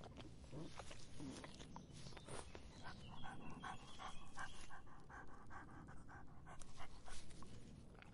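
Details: A dog quenching its thirst in the hot summer, close and quiet: soft wet lapping bursts come in a quick, steady rhythm through the middle of the stretch, with low rumble underneath and no other animals.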